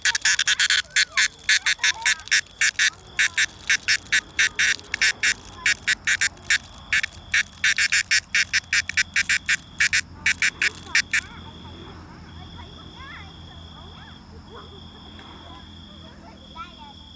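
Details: Cicada song as rapid, evenly spaced rasping pulses, about three per second, that stop abruptly partway through, leaving a faint steady high whine and scattered quiet calls.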